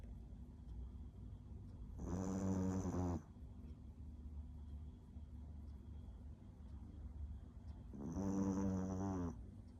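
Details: Small dog snoring loudly: two deep, rattling snores about a second long each, roughly six seconds apart, with a faint whistling tone on each breath and a steady low background hum.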